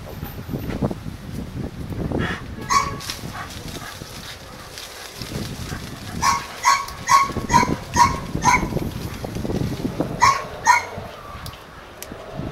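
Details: A pair of Doberman Pinschers at Madness Kennels in Arnos Vale, St. Vincent and the Grenadines. A few scattered barks come first, then a run of short, sharp barks, roughly one every half second, with a later burst near the end.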